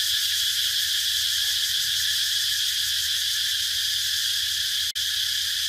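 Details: Continuous shrill cicada buzz, dense and hissing, holding one level, broken by a brief click near the end.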